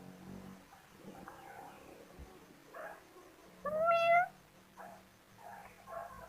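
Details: Playing kittens give a single loud, clear meow that rises then falls, after a few seconds of faint rustles and soft chirps. Quieter mewing follows near the end.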